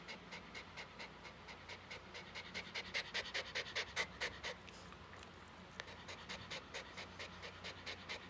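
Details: Mameshiba named Komugi, a female born 5 June 2015, panting hard while enduring the noise of fireworks set off for the first time in two years; quick breathy pants repeated about two per second, with a woman's soothing voice and faint music.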